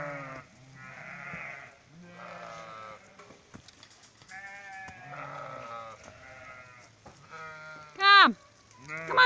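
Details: Sheep being brought in for the night on 26 July 2017, bleating repeatedly in wavering, buzzy harmonic calls, about one a second, overlapping one another, with a sharp loud descending cry near the end.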